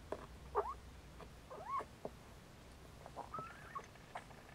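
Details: Nursing Siamese Snowshoe kittens make a quick run of short squeaky mews, several sweeping upward, with soft rustling and bumps between calls.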